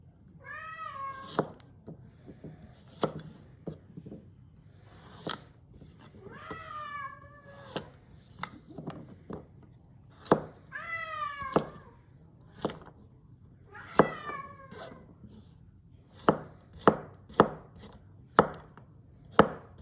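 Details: Domestic cat meowing during carrot cutting with a kitchen knife: four drawn-out, wavering meows that rise then fall, spaced several seconds apart, among sharp knife taps on a cutting board that quicken near the end.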